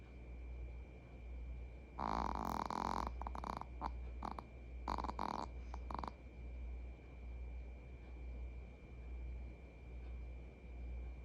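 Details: Pet Maltese Jigeumi snoring during a shared afternoon nap at home; a one-second rasping snore followed by several short choppy snorts and breaths over four seconds, then steady low household hum.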